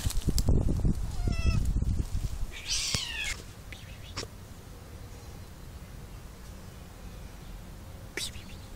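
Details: Cats living together in an olive garden in summer; a brief, strained meow falls in pitch around the third second, after thumping, rustling handling noise and a few faint higher squeaks, then a quieter outdoor background with one sharp click.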